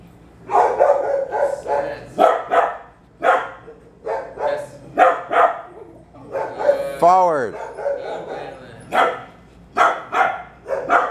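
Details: Steady volleys of barking from nearby dogs during obedience training of a three-year-old Bulldog mix named Waylon, roughly one or two barks per second, broken midway by a brief high whine, with faint human speech.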